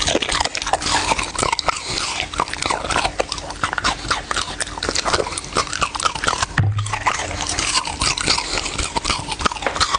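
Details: Dog eating, with dense crunchy chewing and biting throughout: rapid irregular crisp clicks and crackles and one brief low thump near the middle.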